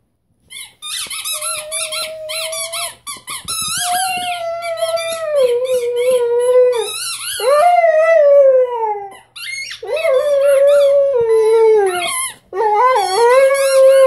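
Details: Bruno, a 6-month-old Rhodesian Ridgeback puppy, meets a squeaky toy for the first time indoors, giving long wavering howls that rise and fall in pitch, broken by short pauses, with high toy squeaks between the drawn-out notes.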